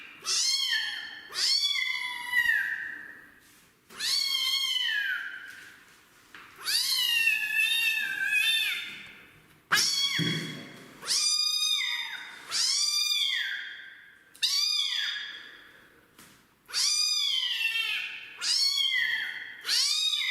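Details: Kitten protesting a bath, meowing loudly and repeatedly: about a dozen drawn-out, harmonic-rich wails, each rising then falling, roughly one every one to two seconds, with brief pauses between.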